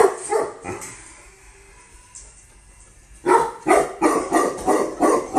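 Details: Female Tibetan Mastiff imported from Russia: a few barks, a quiet pause of about two seconds, then a rapid burst of deep barks, about three per second.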